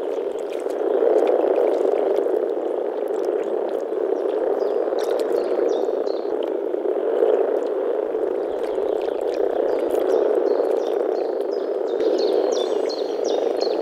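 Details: Deep grumbling chorus of male European common frogs (Rana temporaria), produced with vocal sacs as frogs gather to mate in a small forest pond in early spring; constant low purring throughout, with repeated high bird chirps later on.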